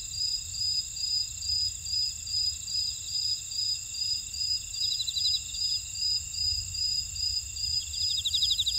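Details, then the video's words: In a buckwheat field at Ora-dong on Jeju Island, South Korea, many insects call at once: sustained shrill whining tones, an evenly pulsed chirping, occasional fast rattling trills, and faint low background rumble. "제주 메밀밭의 풀벌레 소리"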